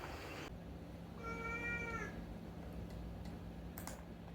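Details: Rescued pet cat talking at night, giving one drawn-out, steady meow with a slight fall at the end, over a constant low hum and a few soft clicks.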